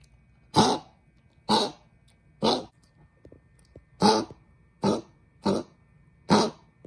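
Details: Small pet dog suffering from laryngeal stenosis, whose cough worsens with temperature changes, on its way to the vet: seven rasping, broadband coughs roughly once a second, loud and dry, inside a small room.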